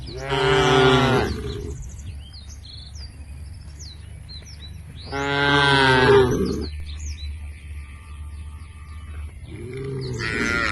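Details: A herd of tame cows heading to a field beside a forest, lowing: three drawn-out, rich moos spaced about five seconds apart, while small birds chirp and twitter between them.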